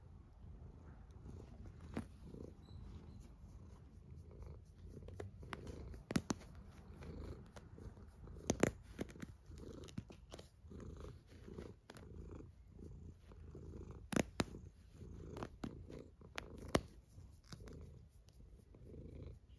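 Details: Domestic cat snoring while asleep indoors: low, rumbling breaths that swell and fade in a steady rhythm, broken by a few sharp clicks and small rustles.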